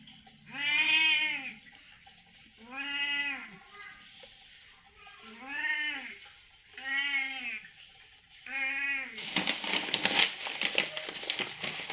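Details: Cat begging for food because it is hungry, giving five clear, arched meows spaced roughly two seconds apart, each swelling and fading. A burst of rough rustling noise follows at the end.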